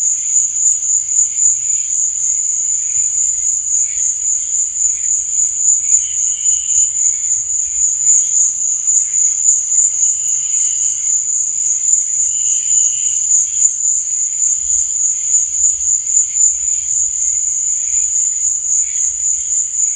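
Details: A long stretch of nocturnal cricket chirping, a relentless high, ringing pulse at a steady rhythm, joined now and then by brief softer chirping bursts lower down.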